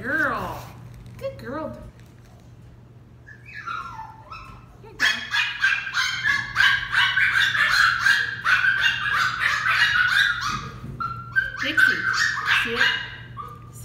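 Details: Training a female West Highland White Terrier puppy named Dixie: a person talks at first, then the puppy breaks into a long, dense volley of shrill, rapid barks with a brief lull near the end.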